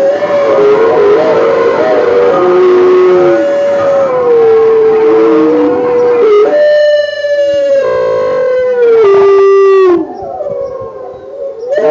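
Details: Gray wolves in the wild north howl in long, steady, mournful notes that bend gently up and down. Several voices overlap and take turns, with a brighter, richer howl rising in the second half before trailing off.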